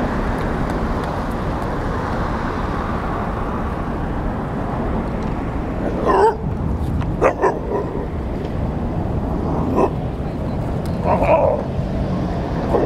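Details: Playful group of New Belgrade street dogs: a roughly two-year-old Šarplaninac mix, a mature male and three puppies under a year old. A few sharp, isolated barks come at scattered moments over constant low traffic rumble.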